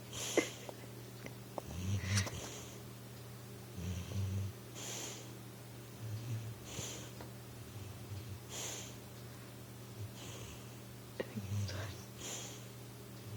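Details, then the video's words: Pit bull named Recchi asleep on a couch, dreaming and trying to run: irregular snorting snores and wheezy breaths every few seconds, with soft huffs and a steady low hum underneath. "Snoring pitbull tries to run in his dream"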